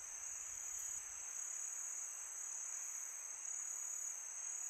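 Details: Night chorus of crickets in summer: an unbroken, very high, ringing drone that barely varies in loudness, over a faint breathy wind noise; no other animals or music stand out.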